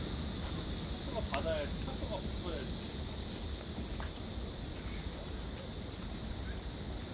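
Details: Black cicada calling on 31 August 2024: a steady, unbroken high buzzing drone runs the whole time without pause, with faint human voices briefly audible near the start over low background rumble.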